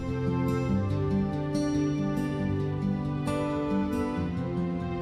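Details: Soft, sustained instrumental music plays throughout, with layered tonal chords and a gentle melody. No animal voices can be picked out.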